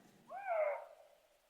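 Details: Eurasian lynx feulement recorded at night from very close, a vocalisation lynx use to call to each other during the rut: a single drawn-out wailing yowl, rising then gently falling, clean with no other sounds.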